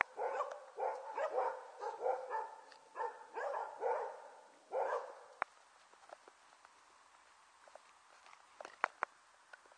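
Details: Border Collie puppies, about one and a half months old, on 5 January 2013: a quick run of short, yappy barks, roughly two per second for five seconds, then quiet with a few scattered clicks.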